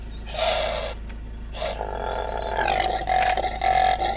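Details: Common impala giving short breathy snorts that build into a sustained, harsh, tonal roar with rough pulses. A low steady hum is heard behind it.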